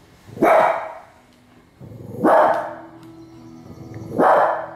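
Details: Female Cavalier King Charles Spaniel barking at Alaskan grizzly bears: three loud, sharp single barks about two seconds apart, with faint background narration and low hum between them.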